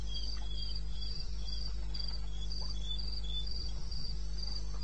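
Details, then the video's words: Crickets calling at 02:30 AM on 21 May 16 in the wilderness of eastern Botswana, with bright, high chirps in quick regular pulses, two voices alternating at slightly different pitches, over a low steady hum and occasional soft knocks. "1 Hour cricket sound"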